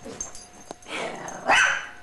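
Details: Gizmo, a young female Pekingese x Chihuahua, gives one short, rough bark with a growly edge, rising out of soft low rustling near the end of a brief indoor moment.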